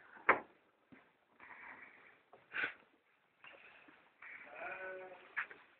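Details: Domestic sheep being fed in a small village in Šumadija, Serbia; several sharp bleats and longer wavering calls overlap, some nearby and loud, with rustling and feeding noise in the background.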